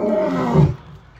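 A lion gives a deep, rumbling roar that swells and then fades within a second.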